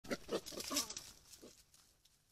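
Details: A wild boar that has taken over a feeder gives a quick run of rough, nasal grunts, then one more after a short pause.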